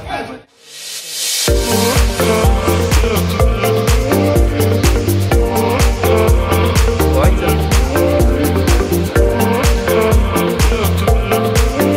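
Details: Loud electronic dance music with a steady pounding beat, with a little speech beneath it, after a brief quiet opening.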